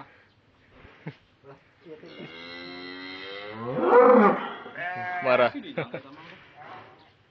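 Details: Cattle fattened for Qurban at a farm, called out during weighing, described as angry; one long, rising and falling bellow of about three seconds, followed by clattering and voices.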